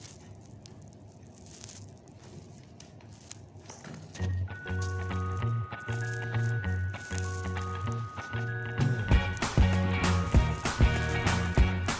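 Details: Quiet room noise at first, then soft melodic music with sustained tones and low bass for the rest, and no clear animal sound.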